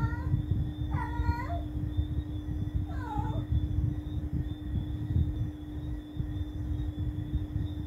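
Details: Night-time cat giving two meows a couple of seconds apart, the first long and level with a dip at its end, the second shorter and falling, against continuous low rumbling background noise and a steady hum.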